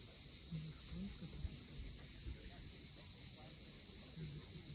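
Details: Cicadas droning at sunset above the sea on Cape Fiolent in Crimea, a constant high sizzling band with no breaks, backed by soft low waves and occasional faint short low notes.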